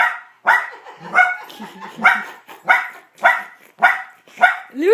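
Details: Puppy confronting his own reflection gives repeated sharp barks roughly every half second, each followed by a brief grumbling tail, and ends with a rising squeaky yelp; a person's voice is faintly mixed in.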